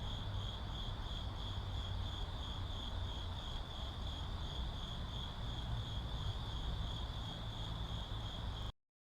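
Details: Urban cricket ambience: a sustained high, even trill over a rumbling traffic bed, cut off abruptly into silence near the end.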